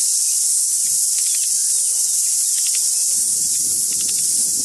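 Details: Deafening cicada chorus, a steady piercing hiss of insect song filling the clip, with a few faint bird notes and a low rustling sound toward the end.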